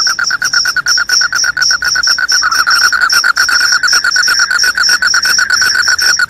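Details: Cricket sound said to drive away rats and bring on sleep: a dense, unbroken high trill running steadily over a lower pulsing buzz, both sustained through the whole stretch without pause.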